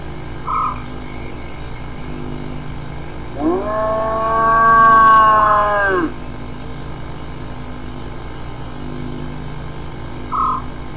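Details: Hyena giving a drawn-out, rich harmonic call lasting about two and a half seconds, swelling in and curving slightly up then down before ending; short faint tonal peeps from another source sound before and after it over a steady low background hum.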